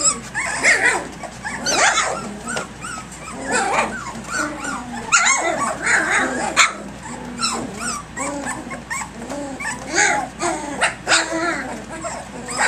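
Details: Puppies aged three weeks three days, filmed at 6 a.m. while playing boisterously: continuous chorus of high whines, yips and little growls from several pups, rising and falling in bursts with scuffling throughout.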